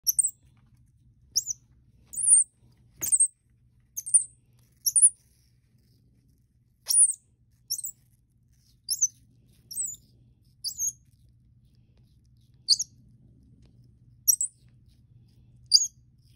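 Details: KobiJae, a 4-week-old pet Common Squirrel Monkey born in Florida of Bolivian lineage, tastes apple for the first time and likes it: very high, thin chirps and squeaks in short bursts, some doubled, spaced irregularly over a faint low hum.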